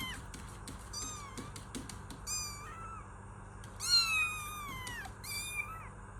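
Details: Kittens meowing in quick succession, many short high cries followed by a louder drawn-out wavering meow and a final rising call, with light tapping sounds and a low hum in the background.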